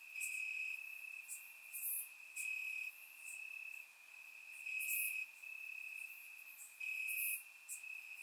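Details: Night chorus of crickets in Bulgarian grass on a warm summer night, one sustained high-pitched trill broken into loud stretches of about a second, with faint extra ticking insects higher up.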